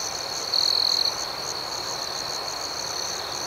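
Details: High, continuous cricket trill at night, with a brief louder chirp standing out for about half a second early in the clip over the pulsing background chorus.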